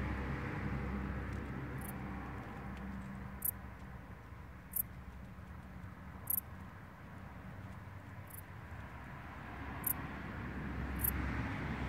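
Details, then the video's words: Camouflaged grasshopper hidden in vegetation and only faintly audible: short, high, dry buzzy bursts come about every one to one and a half seconds, six in all, over a low steady rumble of background noise. "Zamaskowane konik polny"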